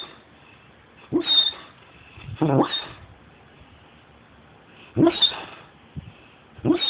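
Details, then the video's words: Giant hound dog asleep, tired out after two days with other dogs, snoring with jowls puffing out: four loud rasping snores, each about half a second, separated by quiet breathing. "Fluke The Giant Hound Dog Snoring Dizzy Gillespie Style"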